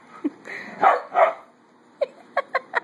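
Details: Adoptable puppies playing with a ball: several short, bright yips in quick succession near the end, after earlier softer mixed vocal sounds, with a person's voice encouraging play nearby.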